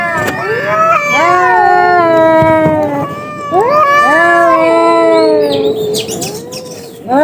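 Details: Two cats fighting: drawn-out, wavering howls that rise and bend in long harmonic-rich wails, two bouts with a short pause between, loud throughout, music faintly underneath.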